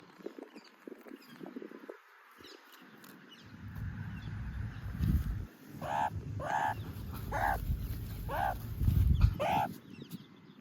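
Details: Meerkat calling when it wants to be touched; after a quieter start, a run of five short, nasal, harmonic calls about a second apart in the second half, over steady low rumbling and rustling.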